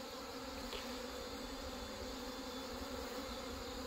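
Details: Honey bees at colonies merged after hornet damage and failed mating hum steadily, a crowded, continuous buzz with tonal bands and some low rumble underneath.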